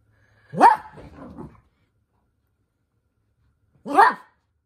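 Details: Toy Poodle Minato, the eldest son, getting rowdy before his younger sister snaps at him: a sharp high bark, then soft low grumbling, a pause, and a second sharp bark near the end.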